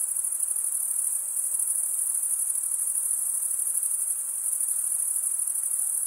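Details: Crickets stridulating, males rubbing wing against toothed wing vein: a dense, continuous high-pitched trill with fast pulsing, steady in loudness throughout, no other sounds.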